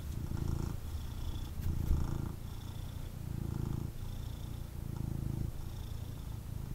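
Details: Male kitten purring intensely after being picked up for cuddles, a deep low rumble swelling and easing with each breath, roughly every second, with faint rustling from handling.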